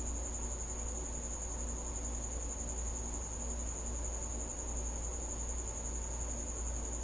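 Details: Cricket calling at night inside or near a house: a sustained piercing trill on one high note, unchanging in pitch, against a steady low hum with faint soft thumps.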